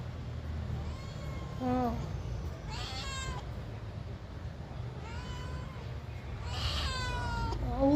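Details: Responsive cat meowing back in conversation with a person: several drawn-out, wavering meows with bright harmonics, some rising then falling, spaced a few seconds apart, over a low background rumble and a human voice talking.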